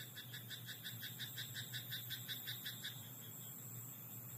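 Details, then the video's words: Nighttime rice-paddy frog giving a rapid, regular run of short throaty croaks, nearly three per second, for about three seconds before stopping, with a steady low hum underneath. "田んぼのカエル "Croaking frog in rice paddy at night""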